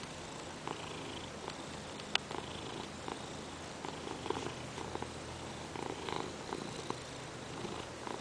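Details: Peanert the Ragdoll kitty, perched on a lap and insisting on petting, purrs in a low, even rumble, with scattered clicks and one sharp tap partway through.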